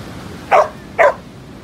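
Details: Male fox-type Samoyed in Bali barking twice, two short loud barks about half a second apart, then quiet background.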